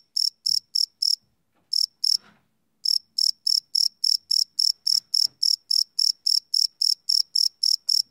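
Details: Night-time cricket chirping captured live with a field recorder: rapid, high, pulsed chirps with a brief pause near the start and another around two to three seconds, then a steady run of roughly four chirps per second, faint low rustles beneath.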